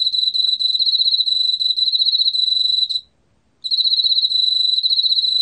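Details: Emma field cricket recorded by Korea's National Institute of Biological Resources in 2020: a steady, high, pulsing trill with a fine rapid chirping texture, broken by a short silence near the middle before resuming, with no other sounds.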